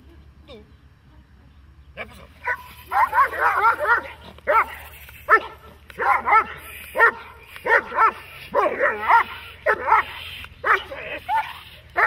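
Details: Dog barking during protection training, German Shepherd or Malinois type: after two quiet seconds, loud harsh barks come in quick bursts, often doubled, continuing steadily to the end over a low background hum.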